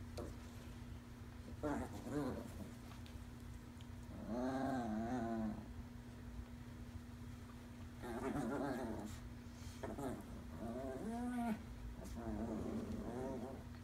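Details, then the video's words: Chihuahuas at play: Lucille, a skittish five-month-old rescued puppy, playing with a toy for the first time alongside the Chihuahua Davie Jones. Short whiny, growling bursts with wavering pitch come in clusters every few seconds over a steady low indoor hum. "Chihuahua play time"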